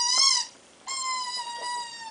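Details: A Chihuahua puppy gives two high, squeaky whines, the second long and slowly falling, while seemingly wondering; Chihuahua.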